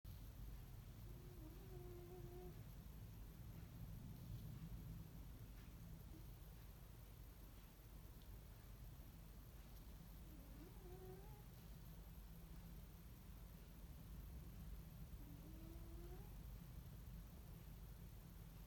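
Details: A sleeping male Ragdoll cat snores with a soft, steady low rumble and faint, high nasal whistles.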